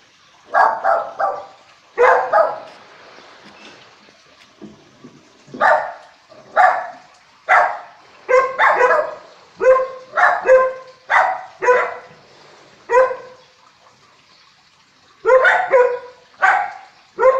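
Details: A group of dogs guarding the house with the owner away, barking warnings at footsteps: dense, overlapping sharp barks repeated almost continuously, with a brief lull before a final flurry.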